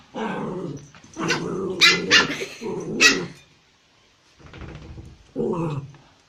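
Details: Puppies bark and growl indoors: a raspy, rumbling growl leads into several loud, sharp barks in quick succession, then quieter rough growling and one final short bark-growl.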